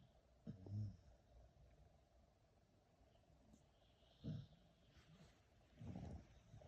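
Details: Two dogs asleep, one of them Teddy, who snores like a man. Deep, throaty snores come in three separate bursts, spaced a few seconds apart, with faint rustling in between.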